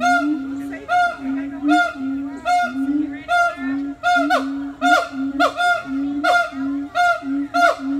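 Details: A siamang at a zoo gives loud, honking calls repeated about once a second at a steady mid pitch; the calls are described as mating calls.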